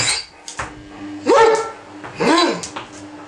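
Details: Ibizan Hound, male, demanding something after waking, utters two arching whine-yelps that rise then fall, about one second apart, with clinking dish-like sounds and a low background hum.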